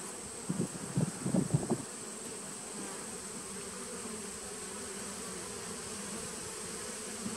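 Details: Honey bees from a 2017 nucleus colony on 19 September 2018: several loud, gritty buzzing bursts in the first two seconds, like a bee passing close, then settling into a steady low hive drone.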